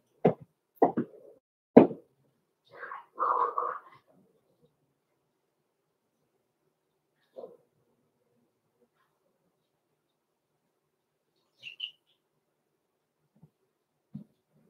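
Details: Six-week-old blenheim Cavalier King Charles Spaniel puppies, Roman and Blue, in an indoor home puppy pen: three short, sharp barks within two seconds, then a brief whining yelp, followed by near silence with a few faint scattered sounds.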